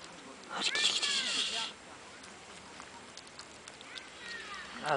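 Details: Three hungry little orange kittens, two with white, that appeared in a neighbour's garden on 16 July 2011 and were given food; one loud, high, drawn-out meow of about a second, then quieter faint cries.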